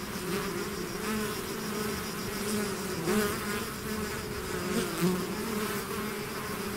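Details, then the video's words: Swarm of bees out of its hive producing a constant, full-bodied buzz, with gently rising and falling surges as individual bees drift nearer and farther, no other sounds. "bees therapy swarm natural buzzing sound"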